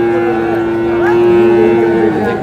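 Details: Sahiwal cattle at a cattle market where a farmer from Noakhali buys a Sahiwal bull on 4 April: one steady, level moo held for about two seconds, surrounded by men's bargaining voices and crowd chatter.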